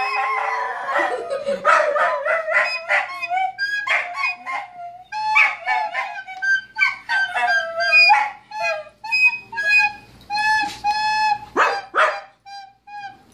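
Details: Several dogs howl and bark in response to a recorder being played; sliding, wavering howls overlap with sharp barks and the recorder's steady piping notes throughout.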